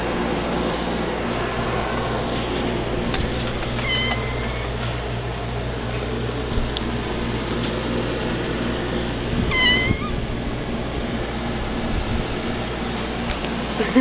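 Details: Two pet cats, said to be the only ones that meow when called, give short meows, one near four seconds and another near nine and a half seconds, over steady loud hiss and rumble.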